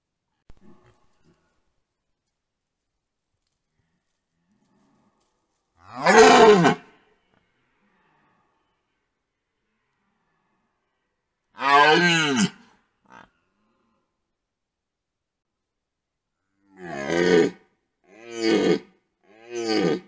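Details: Rutting red deer stags at a wallow, captured by a trail camera. Five loud, hoarse roars are spaced several seconds apart, then come closer together near the end. Each is a rough groaning bellow that falls in pitch. Long silences separate them.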